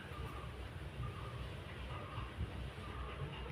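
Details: Steady low rumbling and clatter, like a passing train or vehicle, fills the recording with no animal voice.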